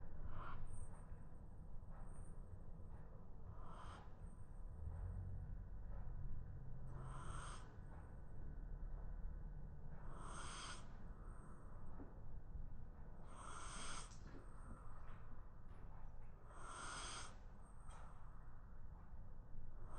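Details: A sleeping Shiba Inu snoring on the floor during a midday nap. Soft breathy snores come at uneven intervals, roughly every three seconds, each with a hissing edge, over a steady low indoor hum.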